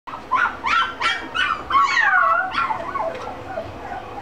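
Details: Mixed-breed dog in a pet shop in Shizuoka, Japan; high, yelping whines in quick succession, each rising then falling, some drawn into a longer wavering cry.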